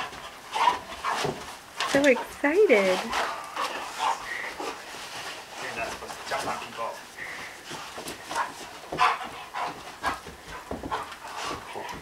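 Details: Excited 15-month-old Vizsla named Lincoln welcoming his owner home from a six-month deployment, giving a few rising, quavering whines early on amid panting, people talking and laughing indoors.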